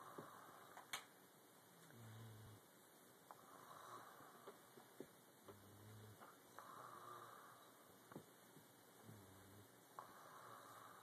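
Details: Boxer puppy named Leonidas sleeping and snoring: soft, low, nasal snores recurring roughly every three and a half seconds in a quiet room, with faint ticks in between.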